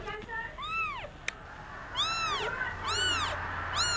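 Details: Indian street kitten, crying while playing: four arched, harmonic-rich meows rising and falling, the first soft and the last three louder, with a brief click between them and a faint low hum underneath.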